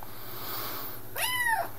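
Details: Gadget, a vocal 10-week-old Highlander kitten on its second day in a new home, gives one clear arched meow near the end, rising then falling, after a stretch of quiet room hum.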